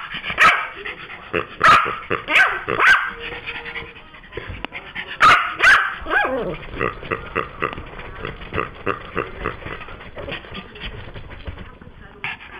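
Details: Yorkshire Terrier upset about its new toy pig being taken: a string of shrill barks early on, then quieter yips and muffled growling over the later seconds.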